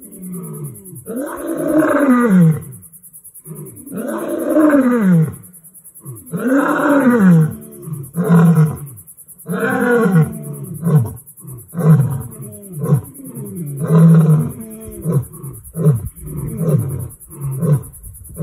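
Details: A lion on a Limpopo reserve in South Africa roars in deep, rumbling bursts that shorten into a run of quick grunts.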